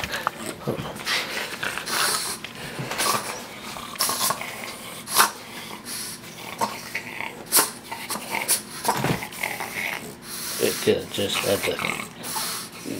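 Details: Chopper, a four-year-old Boston Terrier, sharing a chicken leg: rough, noisy snorting and huffing bursts come in irregular runs of short pulses, some louder and sharper, with quieter breathing between them.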